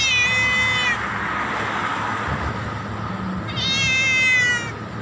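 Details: Loud meowing from a black cat directed at its owner, two long harmonic meows, the second higher and steadier, separated by a pause with low background hum.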